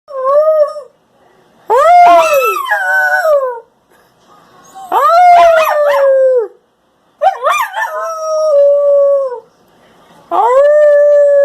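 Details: Husky Shepherd mix pup singing: four drawn-out tonal howls, each about two seconds long, rising at the onset, then holding and sliding gently downward, separated by short silent pauses.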